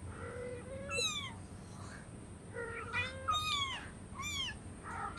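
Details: Hungry cats and kittens meowing for food indoors: several overlapping meows, some long and wavering, others short and downward-sliding, repeated in quick succession over a low background hum.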